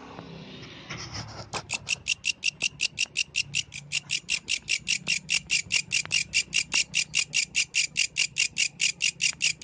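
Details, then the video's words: Night song of a yellow grasshopper: after a second or so of quiet murmur, high rasping chirps start abruptly and continue in a regular pulsing series, roughly two and a half per second. "The Melodious Sound of the Yellow Grasshopper, Authentic from the Night Nature"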